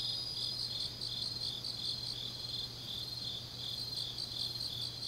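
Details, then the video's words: Grass insects singing on a deep autumn night in Changnyeong, South Gyeongsang, South Korea: a steady, high, shimmering trill from several overlapping callers, faintly pulsing, with a low constant hum beneath. "깊은밤 가을 풀벌레 소리"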